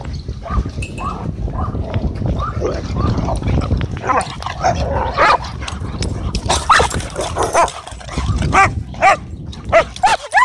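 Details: Dogs wrestling and playing together at a dog park, giving a dense run of rough barks and growly play noises that overlap one another, with steady low background rumble throughout.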